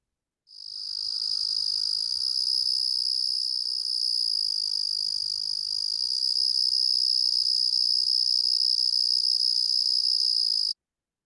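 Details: Carolina ground cricket (Eunemobius carolinus), a Midwest singing insect, sings a continuous high, buzzy trill of even pitch and loudness for about ten seconds, with no pauses and faint low background noise.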